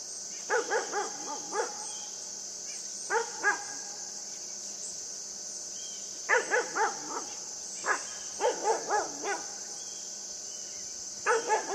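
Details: Playful barking from the puppy Yufie as it romps with a buck, short rising-falling yaps grouped in bursts of two to five, about a dozen bursts a minute, against continuous high-pitched insect buzzing.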